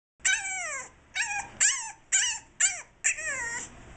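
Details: A French Bulldog puppy, 7.5 weeks old, recorded on 7/2/2010. It is mad and wants to get out to its owner. It gives six high, bright whines, each sliding downward, roughly one every half second, with short pauses between them.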